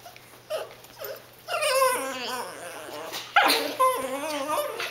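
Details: Pet dog begging for food its owners are eating: high wavering whines and yips rising and falling, with a person talking to her in between.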